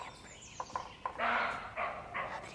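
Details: Roe deer barking, heard from a camouflage hide in Andorra: three harsh, broadband barks in quick succession, each under half a second, preceded by a few faint tapping clicks.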